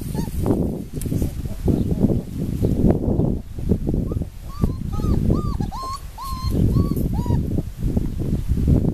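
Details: Four-week-old puppies give a run of high, wavering whines in the second half, each a short rising-then-falling squeal, over steady low rumbling and handling noise.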